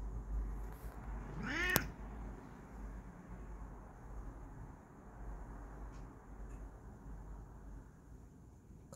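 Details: Bengal cat giving a single short meow, a brief rising-and-falling harmonic cry early on, followed by long quiet stretches with low room hum and a faint click at the end.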